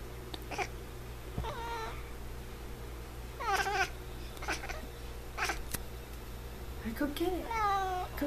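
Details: Indoor F6 Savannah cat making several short, bending meows mixed with a woman speaking affectionately, plus a few sharp clicks and a low steady hum underneath.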